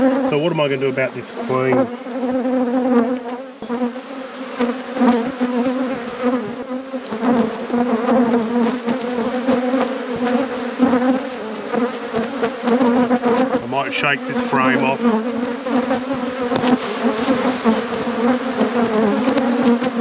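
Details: A colony of honey bees in a managed apiary gives a continuous low buzzing drone for twenty seconds, steady in pitch with slight swells, broken by short bursts of human speech near the start and again about two-thirds through.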